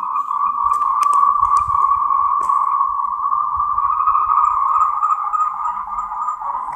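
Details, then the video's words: A loud, unbroken chorus of Moltrecht's green tree frogs, a Taiwanese endemic, calling to mate. Fast pulsed croaks blur into a steady mid-pitched drone, with a few sharp clicks early on. "Tree frogs' mating call"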